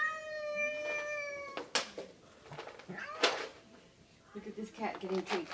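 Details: Kitty Belle, a house cat, gives one long steady meow, followed by sharp thumps, rustling and a woman's quiet voice.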